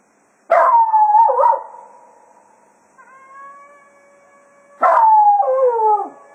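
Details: Cato, a Jack Russell Terrier, howls farewell to the hounds as a day of foxhunting ends at Quail Roost: two loud, wavering howls that slide downward, separated by a stretch of faint, steady sustained tones.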